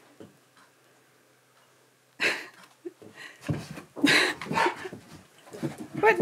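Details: Pet Siberian Husky indoors, vocalizing back while being offered a new harness. Silence first, then a few loud, rough, breathy bursts with brief tonal whining notes, grumbling in uneven pieces, mixed with a person talking in a small room.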